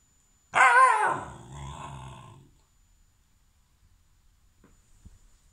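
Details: Alaskan malamute puppy, reluctant to be filmed, gives one drawn-out harmonic vocalisation, loud at onset then fading into a lower grumbling tail over about two seconds, followed by quiet.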